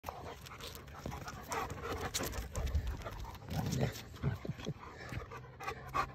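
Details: Two dogs play fighting in the morning, heavy panting and snuffling throughout with soft grunts and scuffling, low rumbling thuds from their wrestling, faint whimpers, and a person's voice nearby.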